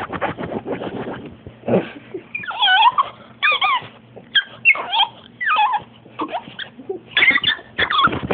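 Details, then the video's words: Female French Bulldog named Betty in a long freak-out fit, giving rapid, rough yelps that break into high wavering squeals and whiny cries, several bursts in quick succession with panting and scuffling between them. "frenchie freek out"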